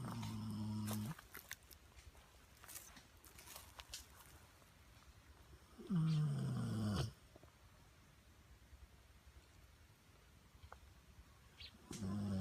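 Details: Sleeping Pit Bull dog snoring: three low, rumbling snores spaced roughly six seconds apart, each lasting about a second, with near silence between breaths.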